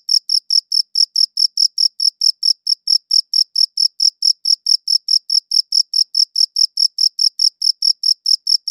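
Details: Crickets chirping, captured with a dedicated audio recorder: clean, high-pitched pulses repeat steadily about four times a second across nearly nine seconds, with a faint upper overtone and a completely quiet background between chirps.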